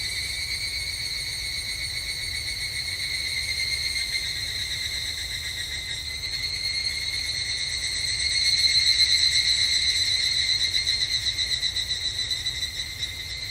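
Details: On a Japanese summer evening at a temple, evening cicadas keep up a steady, shrill, metallic pulsing trill that swells louder for a few seconds near the end before easing slightly.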